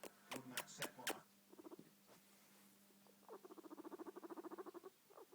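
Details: Pet guinea pig purring: a few sharp knocking clicks at first, then short bursts of rapid, even pulses, a longer rhythmic purr of about four pulses a second, and a steady low hum underneath.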